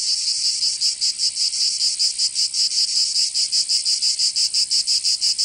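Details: Provence cicadas in summer, southern France: intense high-pitched rasping song in quick, slightly uneven pulses, roughly three a second, continuous from start to end.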